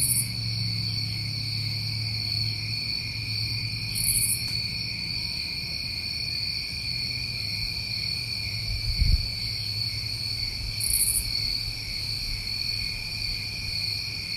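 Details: Summer crickets recorded in New England hold an unbroken high-pitched trill chorus, punctuated by a few brief sizzling bursts high above, over a steady low rumble and one soft thump.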